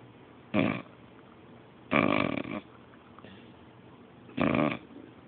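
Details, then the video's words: Sleeping English bulldog and beagle mix named Magnus gives three loud raspy snores, a short one, a longer rattling one, then another short burst, with quiet breathing between. "My Beabull Magnus snoring"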